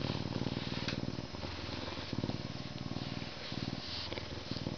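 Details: A male Canada lynx, zoo-born in May 2011 and humanized but not domesticated, purrs in a deep, steady rumble that swells and fades with each breath while being scratched before his meal.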